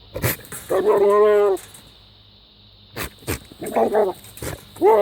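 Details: A goat making bizarre noises: a loud, drawn-out harmonic bleat of about a second, then a pause and a few shorter quavering bleats, with clicks and a steady background hum.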